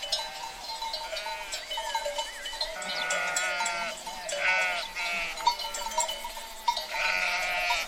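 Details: A herd of sheep bleating: several wavering, nasal bleats with shaky pitch overlap from the middle onward, over a steady metallic ringing of bells and scattered clinks.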